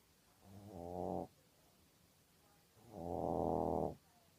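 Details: Sleeping Maltese dog snoring as a sleep habit: two drawn-out, harmonic rasping snores, a short one followed about two seconds later by a longer, louder one, with quiet breathing between them.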